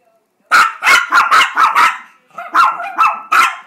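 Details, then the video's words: Begging for a treat, pet Chihuahuas Gracie and JakeJake give a rapid volley of loud shrill barks, about nine in quick succession with a brief pause midway, each bark sharp and bright. "Chihuahuas sing for a treat"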